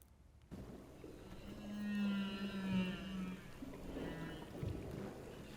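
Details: A humpback whale sings underwater, possibly at night, a long, low moaning tone with higher wavering whistles above it.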